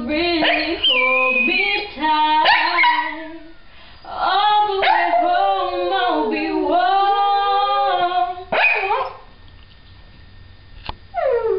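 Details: Pet dog singing a Christmas wish, with long wavering howled tones rising and falling over several seconds in a harmonic-rich voice, pauses between phrases, and a brief sharp sound near the end.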